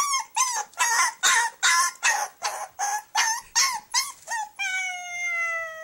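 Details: Young puppy shut in its cage overnight, crying in a fast run of sharp, bent yelps roughly twice a second, ending in a long, steady, slightly falling whine that holds for about a second.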